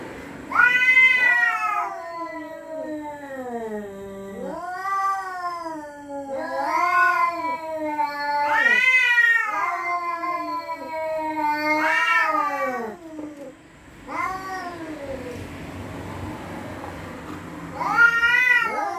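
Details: Territorial cats threatening each other at night: long, wavering, harmonic wails that rise and fall, repeated about every three seconds, some overlapping, with short quieter gaps between yowls.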